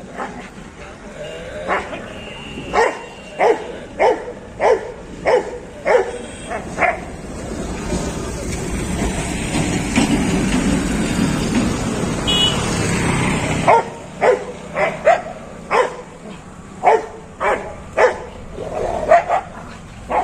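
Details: A Rottweiler confronting a street dog gives sharp, repeated barks in quick runs of about one or two per second; a long rushing rumble like a passing vehicle fills the middle before the barking resumes.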